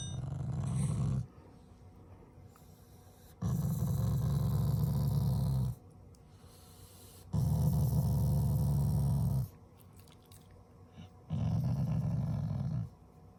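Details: Pet Shiba Inu growling affectionately at its family, not in anger: four long, low rumbling growls of about two seconds each, separated by quiet pauses.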